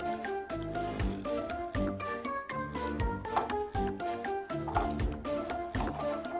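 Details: Bouncy, rhythmic background music with plucked and tuned notes throughout, and no animal calls.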